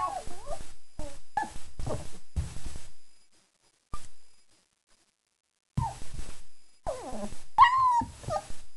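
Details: Young German Shepherd puppies, four weeks old and freshly fed, make clusters of short whimpers, then a long silence, then more squeaky whines ending in a thin rising-and-falling squeal.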